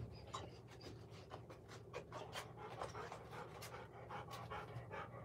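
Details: Golden Retriever filmed on a surveillance camera, panting fast and steadily, roughly two breaths each second, airy bursts spread across a wide range, with a low background hum.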